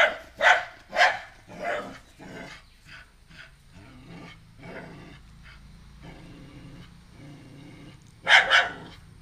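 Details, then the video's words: A female pet dog barks at a new stray puppy brought into her home, seemingly disliking him. Loud sharp barks come in a quick run of three, then softer ones trail off, and a final double bark follows after a long pause. "Dog keep on barking at the new puppy, a stray dog"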